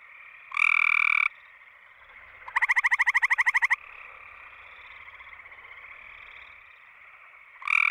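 A gray treefrog gives a loud, musical trill of rapid pulses, repeated every few seconds.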